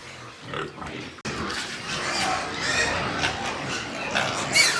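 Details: White pigs on a pig farm in Nepal, with a quiet opening followed from about one second by a dense stretch of overlapping harsh squeals and grunts. Several animals are calling at once.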